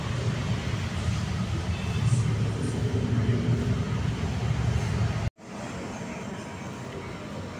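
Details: Steady low rumble of traffic or a vehicle engine with faint speech, briefly cut to silence near the end, and no animal voice heard.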